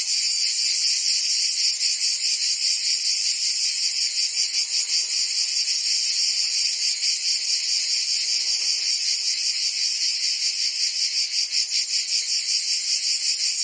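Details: Summer chorus of cicadas in Provence, France. A loud, unbroken shrill buzz fills the air, pulsing rhythmically around two and a half beats each second throughout.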